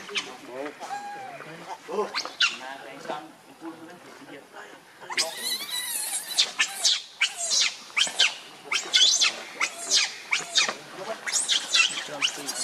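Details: Baby monkey Leo, hungry and begging its mother for milk, starts with softer lower calls, then from mid-clip bursts into a run of shrill, piercing screams repeated in quick irregular bursts.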